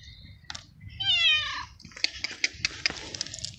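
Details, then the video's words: Abandoned male street cat in heat asking for food: one long, loud descending meow, followed by a run of sharp clicking and tapping sounds. "Street Cat Meowing Loud And Asking For Food"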